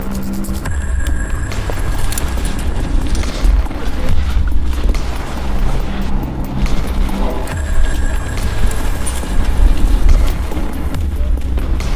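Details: Loud music with heavy bass and a steady beat plays throughout, with no animal sound.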